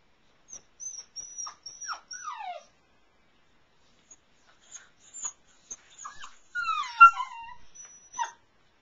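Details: Airedale Terrier puppies from Cece and Tucker's litter, brought into the house at night, in a whelping box reached by an A-frame. Thin, falling whines and whimpers come in short bursts, then a louder run of sliding, descending cries, with faint high squeaks.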